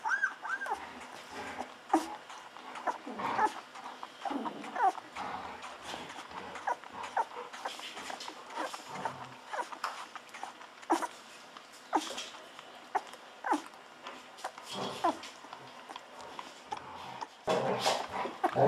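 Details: Hungry two-week-old Golden Retriever puppies feeding from a bottle, giving soft whimpers and squeals mixed with wet sucking and smacking noises, some low snuffling between.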